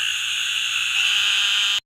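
A narrow-mouthed toad calls with one long, nasal buzz, held steady for nearly two seconds before stopping abruptly. The high, insect-like drone sounds much like a distant bleating lamb.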